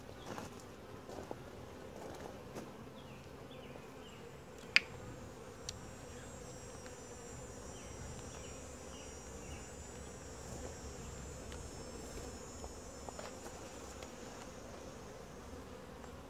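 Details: Honey bee colony, described as quiet, gentle and calm, during a typical hive inspection filmed from a tripod: a steady low buzzing drone, with faint high chirps, a thin high whine and occasional sharp knocks over it.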